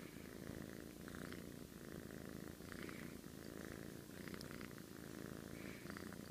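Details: Domestic cat asleep and snoring, a continuous low grainy rumble that swells and eases gently about every second or so, faint small ticks and rustles above.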